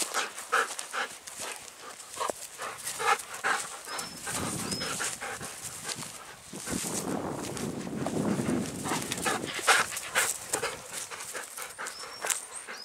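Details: Golden Retriever panting on an evening spring walk beside rice paddies full of white blossoms in a satoyama countryside; quick, breathy rhythmic puffs, roughly two per second, with faint high bird whistles in the background.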